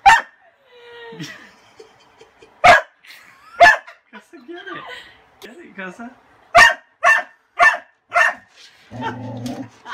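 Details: Kasa, a pet dog afraid of a broom, goes bananas because his toy lies under it; sharp, loud barks burst out irregularly, about seven in ten seconds, with people talking and laughing in between.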